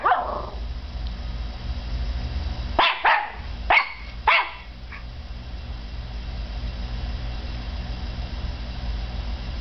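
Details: Five-month-old Norfolk Terrier puppy named Peanut barks at a CD running in a computer; three quick yappy barks about a second apart midway, then a faint yip, with constant background hum.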